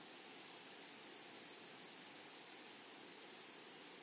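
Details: A constant shrill insect hum from grasshoppers in a flowering prairie meadow. The high tone runs unbroken at an even level, with faint outdoor noise beneath it.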